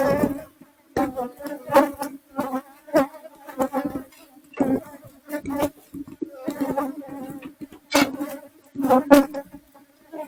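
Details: Asian honey bees whose colony lived in the roof of a kitchen, recorded during the rescue: an intermittent buzzing hum coming in short surges roughly every second, with brief quiet gaps between passing bees.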